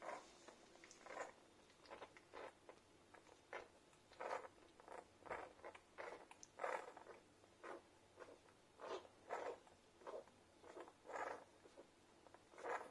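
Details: Newborn Irish Setter puppies from their mother's first litter make soft, wet smacking and squeaky suckling noises in quick, uneven bursts while nursing.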